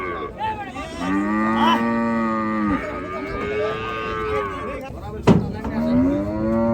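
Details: Gaiya cattle being unloaded at a cattle farm, lowing in several long, drawn-out moos with slightly arching pitch, one after another, and a sharp knock midway through.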